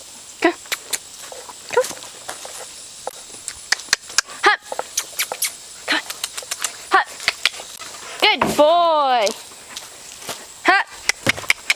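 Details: Lad, a male full collie, doing hop and sit tricks for his handler. Scattered sharp clicks and footsteps, then a single loud arched bark with stacked harmonics lasting under a second, followed by more light tapping.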